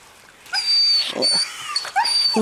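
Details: Seven-week-old Greenland Dog puppies from three litters playing together in the yard at Tinka's Kennel in June: thin, high whining yelps that slide and bend, repeated in short bursts, with some scuffling noise behind.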